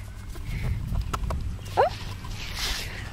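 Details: Four-week-old 34% F2 Savannah kitten named John Snow gives one short, bright mew that rises sharply then dips, standing out once against a steady low rumble with a few soft clicks and knocks.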